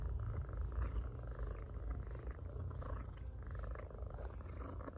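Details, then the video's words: House cat purring loudly under petting; low, throaty, vibrating purr with steady rhythm and slight swells, accompanied by light brushing sounds of fur being stroked. "Cat Purrs Loudly While Being Petted"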